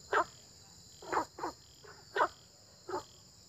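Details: Loud, close frog croaks in early spring: five quick, harsh bursts within three and a half seconds, two coming in a rapid pair, over a background of shrill insect buzzing.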